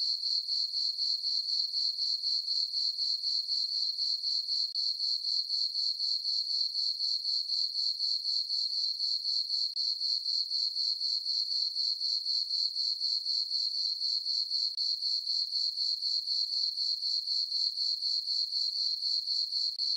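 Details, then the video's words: Full-moon summer night on a farm meadow, where crickets keep up a continuous shrill trill of rapid regular pulses, about four per second, for the whole stretch against a silent background. "Cricket chirping sounds for sleeping"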